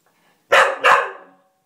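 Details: A Cocker Spaniel gives two quick, sharp barks in close succession after a door spring is pinged, crying and barking because he wants to play with it.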